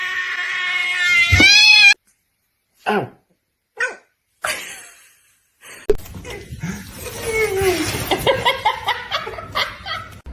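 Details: A cat meows in a long, harmonic cry that rises at its end, then gives a few short clipped calls; a burst of noisy clattering and laughter fills the final seconds.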